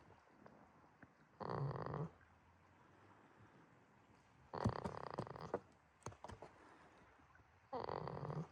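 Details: On 11 March 2026 at Yoshigake farm in Himi, Toyama, Japan, the goat Jitta snores while dreaming: three hoarse, buzzy breaths about three seconds apart, each lasting under a second, with light clicks and rustles between them.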